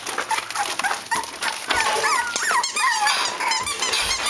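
Cavalier King Charles Spaniel puppies give high, wavering squeaks and whines in quick, overlapping bursts.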